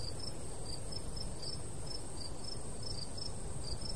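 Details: Summertime cricket chorus over a golden wheat field in the countryside, bright brief chirps stuttering unevenly a few per second above a constant high shimmer, while a soft breeze rumbles low throughout.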